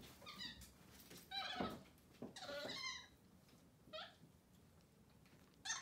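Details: Capuchin monkeys MonkeyXander and Ohana, kept as pets, having breakfast in bed one morning after a bath. Several high, tonal squeals bend downward in quick runs over a rustling indoor background.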